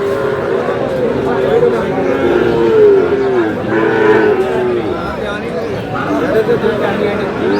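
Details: Sahiwal calf at a market, lowing in drawn-out, wavering moos that rise and fall over several seconds, with men talking and crowd chatter throughout.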